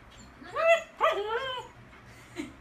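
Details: Golden Retriever left alone at home after its owner drew it a bone, giving two loud, high whining cries that rise then fall, about half a second apart, in a quiet room.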